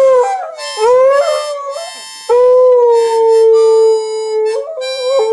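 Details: Indoors, a beagle howls along as a man plays Home on the Range on a harmonica, its voice sliding up and wavering over the sustained notes.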